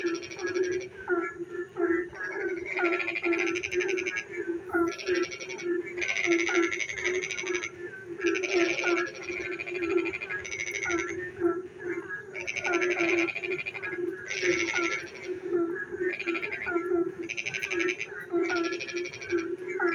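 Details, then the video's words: Frogs calling in the rainy darkness of night, a dense chorus where rattling pulsed trill bursts of about a second follow one another almost without pause over a constant low croaking background, plus scattered short chirps. "frog singing in the dark night when it rains"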